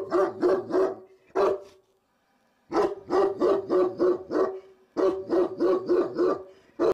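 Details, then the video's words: Powerful, booming barks from Cotto the Cane Corso, on guard at the gate as window cleaners work next door unseen, delivered in quick repeated runs of three to six with short breaks. "COTTO, guarding by gate"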